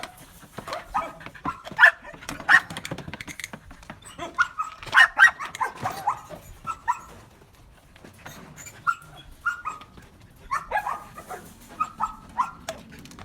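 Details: Belgian Malinois being taught to bark on command gives clipped, high-pitched barks mixed with tonal whines and yelps in irregular bursts, with brief pauses between groups of calls.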